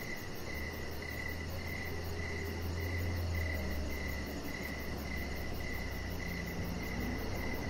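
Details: Evening crickets outside by a deck with a resting chihuahua puppy, chirping in a regular rhythm of about four pulses per second, a thin high pulsed buzz overhead, and a steady low hum in the background.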